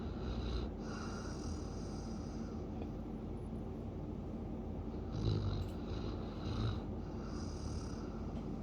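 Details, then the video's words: Siberian Husky snoring, a steady low rumbling breath noise with a few louder snorting swells near the middle and end, and faint hiss bands overhead. "Siberian Husky Snoring"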